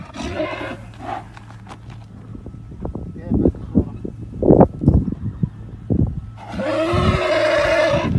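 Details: Arabian horse stallion giving a short neigh at the start and a strong, trembling whinny in the last two seconds, with people talking loudly in between.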